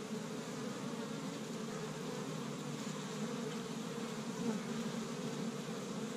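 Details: Established honey bee hive in Michigan, spring's first warm day, workers busy bringing in tree-bud pollen; constant low buzzing drone with a few brief louder passes of single bees.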